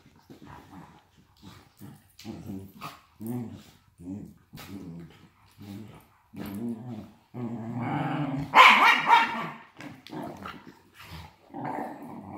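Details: Two wire fox terrier brothers wrestling in play, one with degenerative myelopathy wriggling on its back and kicking; low rumbling growls in short pulses about twice a second, rising to a louder snarling burst near the middle.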